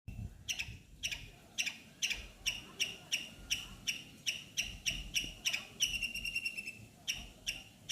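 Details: Squirrel near a neem tree giving sharp, high chipping squeaks about twice a second, steady in rhythm, with a brief burst of faster, thinner notes near the end and a low background rumble.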